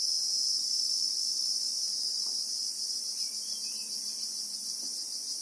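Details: Unbroken high, hissing drone of Christmas beetles (Anoplognathus) in the South African bushveld, recorded in real time; the shrilling fades slightly toward the end, with a faint low tone in the background.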